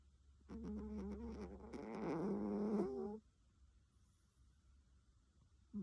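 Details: A sleeping cat gives one long, rough, droning snore of about two and a half seconds, wavering in pitch, followed by quiet breathing.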